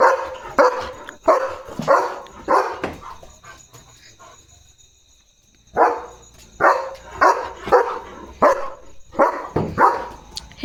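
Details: At night a German Shepherd barks while guarding, running back and forth: a rapid burst of harsh barks, a quiet pause of about two seconds, then another run of loud barks, over a constant faint high electrical tone.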